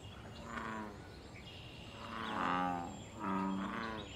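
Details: American bullfrog calling in a wild pond during mating and territorial activity: a faint low croak, then two louder, deep, resonant droning calls lasting under a second each, with a soft chirp above.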